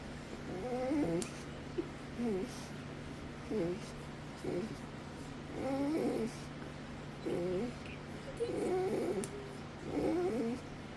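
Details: Windsor, a pet Rottweiler, making unusual noises for the first time while being given affection: a series of wavering, moaning whines in bursts about every one to two seconds over a steady low hum, with a person's voice nearby.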